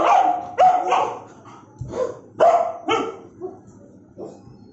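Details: Bullmastiff giving aggressive barks: rapid, heavy, harsh barks in quick succession, then tapering into softer, lower woofs at the end.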